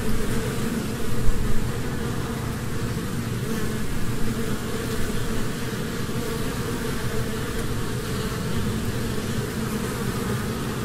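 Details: Continuous honeybee buzz, a deep even drone with soft tonal bands, a brief louder burst near the start, then steady humming.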